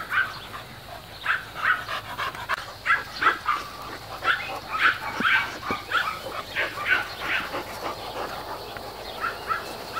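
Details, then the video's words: Squeaky yips and short whiny barks from mastiff puppies at play come roughly every second or two in irregular clusters, with a few soft thuds mixed in. "mastiff puppies playing"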